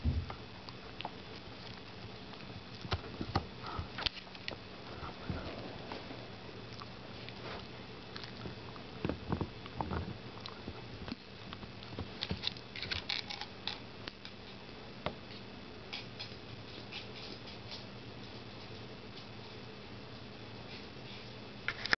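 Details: A female Dachshund gnaws her new rawhide bone during the Christmas holiday season, with irregular wet crunches, clicks and occasional sniffs.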